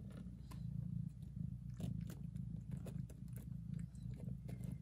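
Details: Mother cat purring very loudly while licking and caring for her tiny newborn kittens indoors; a steady low rumbling purr throughout, with soft licking and clicking sounds over it.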